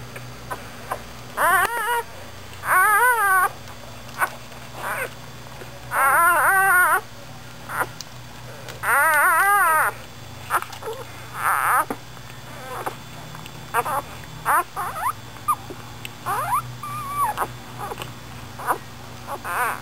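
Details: Newborn American Bulldog pups from Dixie's litter of nine, born in the middle of the night, five so far: loud wavering, warbling squeals in bursts of about a second, repeated several times, with softer short whimpers between.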